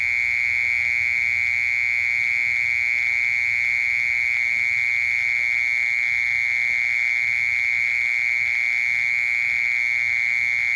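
A mole cricket gives a steady, unbroken buzzing trill on one high, pure pitch.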